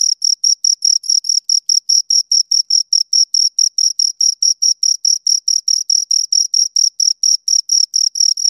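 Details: Two crickets chirping: a steady train of short, high-pitched pulses, a little over two each second, with a fainter overtone above. Even and unbroken against a silent background, with no other sounds.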